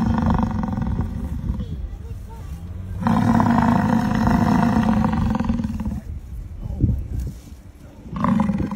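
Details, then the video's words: American bison in Yellowstone National Park bellowing in long, deep, rumbling roars lasting about three seconds each, separated by quieter pauses with softer grunts, a final roar starting near the end. "Captures the essence of bison sounds"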